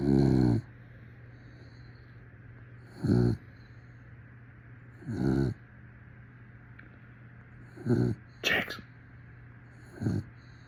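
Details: Dog snoring in a slow rhythm, with short, rasping, low snores every two to three seconds and soft breathing between them. A faint hum runs throughout, and a brief sharp click is heard near the end.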